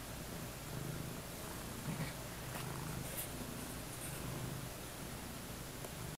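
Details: Faint low purring from domestic cats lounging on a bed in early evening while someone naps nearby, a gentle continuous rumble with brief swells, set against a constant hushed indoor background and a few light rustles.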